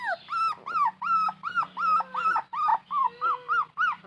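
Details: A puppy cries with thirst while seeking its mother, giving a rapid, even series of loud, high-pitched, arched whimpers, roughly three a second, over a faint low hum.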